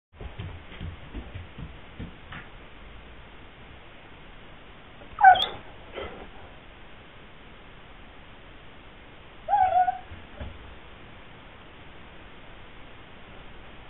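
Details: Sweety, a Pyrenean Mastiff, whimpers indoors wanting to go outside where gardening is under way; two short whining bursts, the second a clearer tonal whine, separated by quiet room noise.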